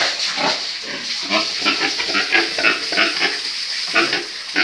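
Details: On a farm, breeding pigs grunt repeatedly in short rasping bursts about two or three per second, steady throughout, with a loud hissing background.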